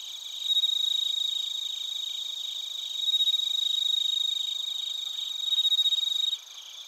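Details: Bell crickets and other crickets chirping in Narita, Chiba Prefecture, Japan, captured on a TASCAM Portacapture X8; three bright, rapidly pulsed ringing bursts rise above a constant high insect drone, then cut off near the end.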